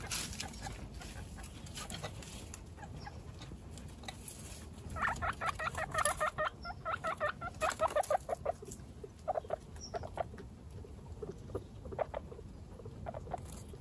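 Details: Baby guinea pigs one week old, named Snow, Pistachio and Pumpkin, among 29 pet guinea pigs, make a clucking series of short, rich, evenly stacked notes, then scattered softer chirps, over a low rustling background.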